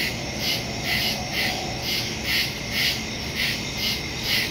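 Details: Crickets calling in the woods after dark on September 2, 2023, phone-recorded with a Shure MV88+ stereo microphone; bright, evenly spaced chirp pulses nearly twice a second over a constant high-pitched insect drone.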